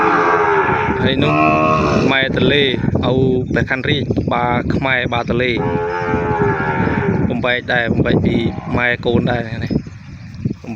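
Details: Calf separated from its mother, crying and calling for her in a pen. Near-continuous overlapping bawls and moans, harsh and harmonic, with many short breaks and clicks running through the whole stretch.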